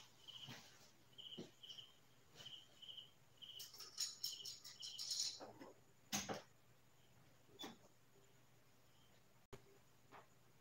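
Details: Crickets at night in quiet farm countryside, giving short high chirps in a steady run for the first few seconds, then broken by loud clicks and knocks.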